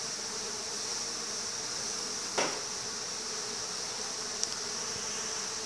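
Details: Swarm of bees at a house, a continuous low buzzing drone of many wings that holds steady, broken only by a brief knock and a faint click.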